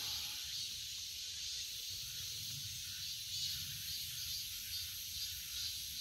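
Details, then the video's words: Steady, sizzling cicada drone, an unbroken high hiss that fills the whole stretch, over a soft low rumble of background noise. "Cicada 매미"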